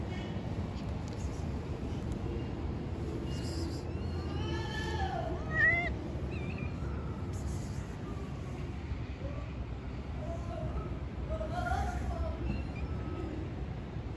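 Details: Stray street cats calling to one another: several drawn-out, wavering meows, some rising and then falling, come in two bunches separated by a quiet gap, over a steady low rumble of traffic and city noise.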